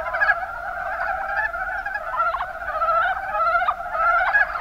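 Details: Chorus of mountain brown frogs (Rana ornativentris) in the Kuma Basin, Kumamoto Prefecture, Japan, with quick trains of low, knocking croaks layered from several callers, rising and falling in intensity over a few seconds.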